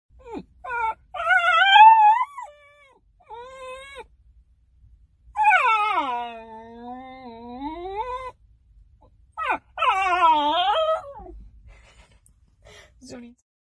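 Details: Basenji dog vocalizing indoors with tonal, wavering yodel-like calls: a rising-falling warble near two seconds, a long bending moan around six to eight seconds, and a sharp swooping yodel near ten seconds, separated by brief quieter whines.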